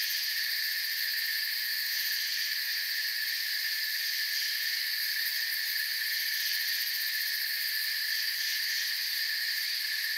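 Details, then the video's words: Steady massed cricket trilling from a forest, many insects blending into a constant bright buzz in several high layers, unchanging in loudness across the whole stretch, with no other sounds heard. "Forest Sounds and Crickets"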